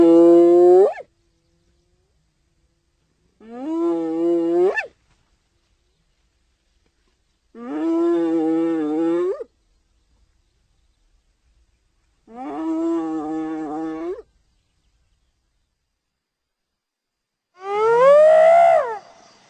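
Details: Hyena giving five drawn-out, harmonic-rich tonal calls about four seconds apart, each one to two seconds long, mostly level with an upward lift at the end; the final call sweeps steeply upward.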